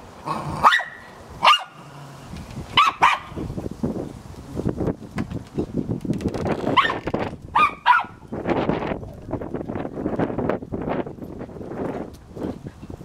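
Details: A Cairn Terrier barks in quick, sharp, high yaps in short bursts, sometimes doubled, spaced a second or so apart. Gusty wind noise runs underneath and grows rougher toward the end.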